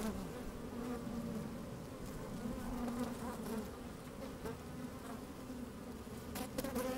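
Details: Honey bees at work in an opened hive, recorded by a microphone lowered into the colony on a sunny day; steady low hum with short bright buzz flickers repeating irregularly, a stronger burst of buzzing near the end.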